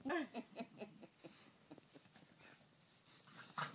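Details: Bulldog and basset hound wrestling in play: a short whining cry opens, followed by a run of rhythmic grunting pulses that fade into soft huffs, then a final louder grunt.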